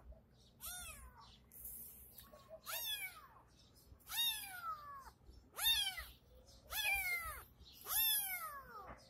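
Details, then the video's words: Tabby kitten in a case giving repeated plaintive meows, six falling harmonic cries roughly every one to one and a half seconds, growing louder toward the end. "tiger cat in a cres"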